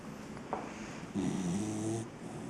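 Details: A tired 7-month-old English cocker spaniel snores with a low, rumbling breath in a quiet indoor room.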